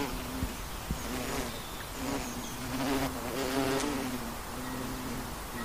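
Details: A honey bee in flight gives a steady, droning hum with layered overtones, growing slightly louder toward the middle. Two brief clicks are heard early on.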